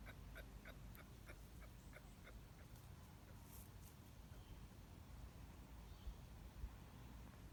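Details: Male kangaroo making sounds at a female: a run of short, soft clucks with faint harmonics, about three per second for roughly two and a half seconds, then quiet with low background rumble and a few sharp clicks.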